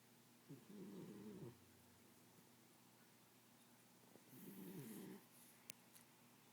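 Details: A pit bull asleep indoors, described as an exceptionally loud snorer: two low, rasping snores, each about one second long and roughly three and a half seconds apart, with quiet breathing between them.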